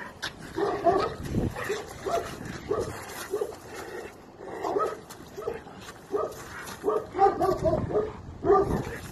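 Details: Young Chinese Red Dog during bite work training in the UK, barking in repeated rough bursts roughly every second throughout, some doubled, with background noise between calls.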